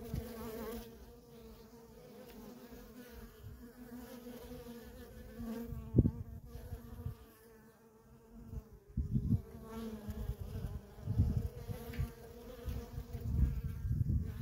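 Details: Honey bee workers in nonstop traffic at a feral colony, a steady droning hum with a low and a higher tone, broken by low rumbling thumps near the middle and in the last few seconds.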